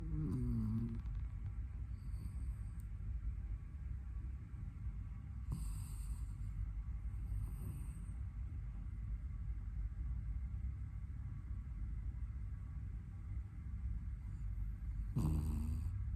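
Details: Sleeping puppy snoring with a steady low rumble throughout, with brief higher, voiced nasal squeaks near the start and again near the end.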